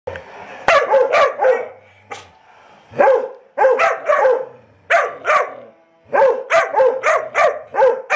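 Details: A 19-week-old Labrador and Weimaraner mix puppy, a rescue dog up for adoption in Chattanooga, Tennessee, barks in quick clusters of two to four sharp, mid-pitched barks with short pauses. About fifteen barks are heard in eight seconds.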